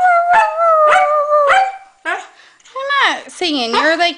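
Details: Norwegian Elkhound Maddie howling together with a Husky: three falling yelp-howls in a steady beat, then lower wavering, warbling howls that dip and rise, with a voice briefly heard.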